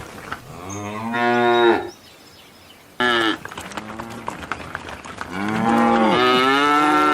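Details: A cow in a field gives deep, sustained, harmonic-rich moos, each one swelling and then falling away; a second, longer bellow follows a short gap, with faint background rustles.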